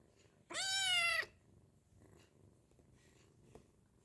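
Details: Hungry kitten meowing while being fed: one clear, high, harmonic-rich meow lasting under a second, slightly falling at the end, followed by quiet room noise with faint clicks.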